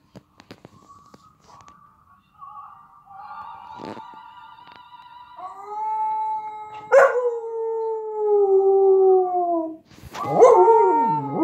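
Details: A female Samoyed howls along to a recording of her own howling, in long, drawn-out tones that hold steady, then slide downward and break into wavering notes, with the fainter recorded howl playing underneath.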